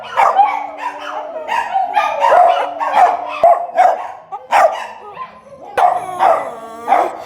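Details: Dog making strange noises for a comic compilation: a steady string of throaty barks and half-howled yelps, about one or two per second, some ending in a brief musical wail.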